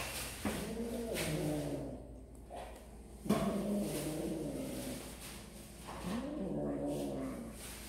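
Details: Kittens eating snacks give three drawn-out meows, each an arching harmonic cry about two to three seconds apart, against a low steady background hum.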